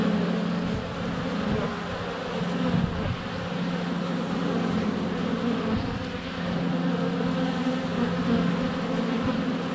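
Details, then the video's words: Honey bees flying in front of their hive in February sun, recorded close with a GoPro Hero 7 Black; steady low buzzing drone that swells and eases as bees pass. "4K Honey Bees - ambient video and audio"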